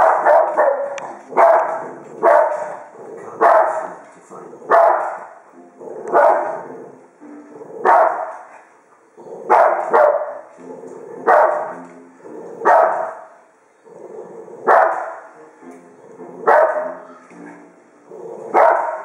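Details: A nearly 12-year-old female Cavalier King Charles Spaniel in Australia barks at grizzly bears on TV, giving repeated sharp, mid-pitched bursts about every second.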